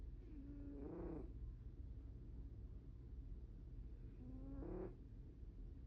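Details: Sleeping cat snoring: two drawn-out, tonal breaths about three and a half seconds apart, each swelling and bending upward in pitch at the end, over a steady low background hum.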